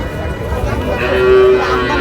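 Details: Sahiwal bull and heifer calves at a Faridpur cattle market, Bangladesh, 17 March 2025; one short, steady, level moo lasting under half a second stands out against crowd murmur and background chatter.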